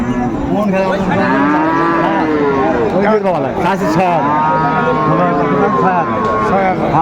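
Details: Bull calves of Friesian and cross breeds at a busy cattle market, Raniganj haat, Dinajpur, 2 May 2024, giving long wavering moos, several callers overlapping, over continuous murmuring voices of the crowd.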